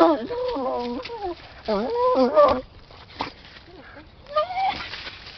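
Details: Redbone Bluetick Hound named Rusty, aged 10, eager to get at something in a hole by an underground stream, giving quavering, whining half-bays that rise and fall, with quieter snuffling gaps between.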